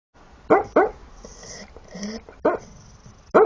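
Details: Shar Pei barking while asleep: muffled, low, chesty woofs in two pairs, with soft snuffling breaths and a faint hissing snore between them.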